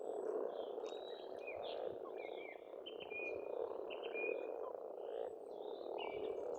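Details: Pond frogs in Estonia during spring form a continuous, pulsing croaking chorus. Birds overlay clear whistled notes and trills, some drawn out and level, others short and rising.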